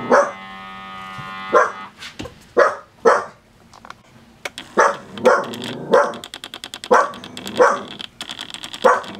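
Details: A Dachshund getting a toe massage gives a string of sharp, yappy barks, spaced irregularly about a second apart.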